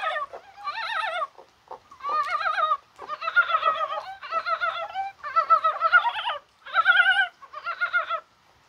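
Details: Korean brown frogs calling in rain on a spring-like January 21st, perhaps while spawning; overlapping wavering, clucking croaks come in dense bursts of about half a second to a second, several callers at once, with short gaps between.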